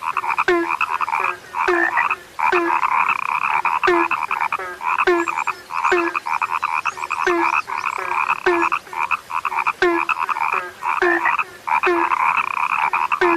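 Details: Frogs described as now rare, calling in a dense chorus: buzzy, pulsed croaking runs almost without pause, with short low downward croaks dropping in roughly every half second and brief breaks.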